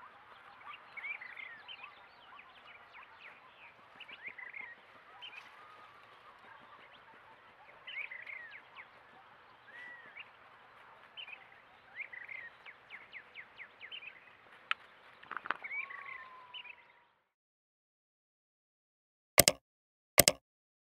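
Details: Coyotes rough-housing together, with about seventeen seconds of rapid squeaky yips and chatter ending in a rising-then-falling whine, then silence broken by two sharp knocks.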